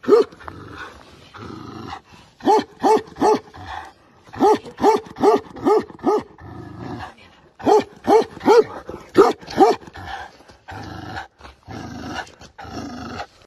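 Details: A giant Tibetan Mastiff barks in rapid bursts, runs of deep barks about two per second separated by short pauses, with low background rumble and breathing noise in the gaps.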